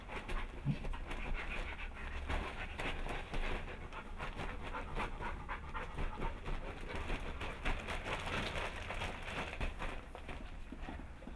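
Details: Hannah, a Bernese Mountain Dog, is in labour at home on July 16, 2013, delivering the first of her 9 puppies. Her breathing comes as rapid, breathy panting bursts that keep going throughout, over a low background rumble.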